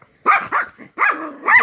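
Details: Playful bulldog puppy Little D makes Chewbacca-like vocalizations: a string of short, wavering, whining yips and yelps in quick bursts, ending in a longer bent, moaning whine, all loud and close.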